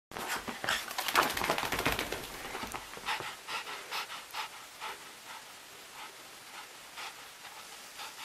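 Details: Rolo, a wet puppy indoors in a small room right after a bath, panting in quick breathy bursts about two per second, loud and dense for the first three seconds, then softer and more spaced.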